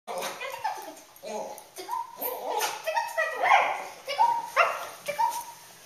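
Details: A cockapoo goes crazy with a run of short, wavering howls, triggered when people say the word "tickle", with their voices mixed in.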